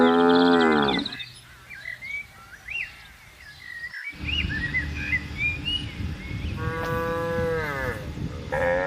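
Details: Tame cows roaming farm pasture: a moo ends at the start, followed by several seconds of bird chirps over a low rumble, then another rising moo near the end.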